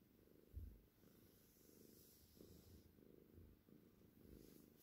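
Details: Cornish Rex, a seal tortie point with white, purring softly. A low rumbling drone swells and fades with each breath, roughly every second, under a faint hiss.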